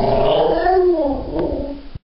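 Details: A half Labrador, half golden retriever gives a drawn-out, wavering whine sliding slowly down in pitch, a strange sound part yawn, whinge, growl and bark.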